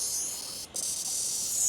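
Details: A male cicada in India, held in the hand, gives a shrill, steady, high-pitched buzz from its abdomen that breaks off briefly before carrying on; only males make this sound.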